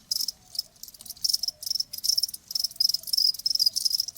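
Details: Chirping of a cricket, presented as a calming natural sound for easing tinnitus: shrill, high pulsed bursts coming in quick irregular clusters, with a faint lower tone drifting beneath.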